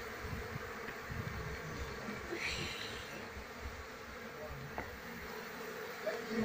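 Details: Buzzing of a wild Apis cerana colony during its transfer to a hive box as the queen is sought; a continuous low hum of many bees, with brief rustling and faint voices in the background.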